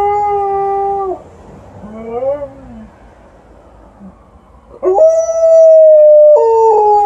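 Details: Evening howling from Liza the Alaskan Malamute, outside, in response to a passing ambulance: a sustained tone ends abruptly, a few seconds of near-quiet with a faint wavering sound follow, then a loud, steady howl starts again.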